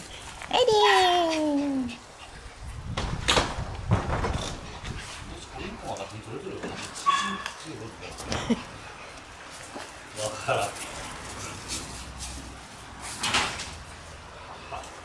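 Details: A group of Shiba Inu puppies playing outdoors: one long, high whine slides steadily downward over about a second and a half, then brief yelps and rustling follow, with human voices mixed in.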